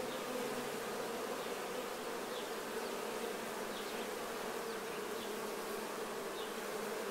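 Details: Swarm of honey bees cleaning themselves of nectar while honey is being harvested; a dense, steady hum around a constant low pitch, with faint short chirps flicking above it throughout.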